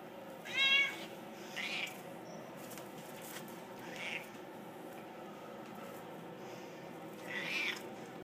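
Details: Rescue-bound Siamese cats in Mesquite: one sharp, bright meow near the start, then three faint, brief mews spread across the stretch amid steady low hiss.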